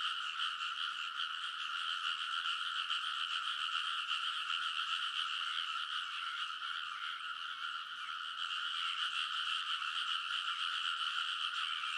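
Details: Frogs in full chorus on the banks of a rice paddy, Kōnosu, Saitama, Japan, midnight in early summer, TASCAM Portacapture X8; steady massed croaking, rapid and overlapping, forming a bright buzzing blanket of sound.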